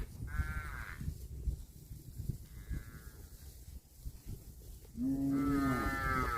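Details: Cattle grazing on grass give two short, higher, strained calls early on. After a stretch of chewing and rustling, a loud, steady, deep moo begins near the end and swells into a full, drawn-out bellow.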